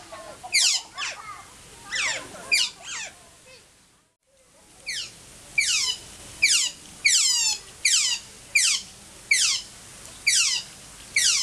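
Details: Adult Asian small-clawed otter in Wuppertal Zoo, Germany, one of two kept there, calling loudly, probably hungry and impatient: shrill, high squeaks that slide downward, given in quick bursts and then singly about every second after a short pause.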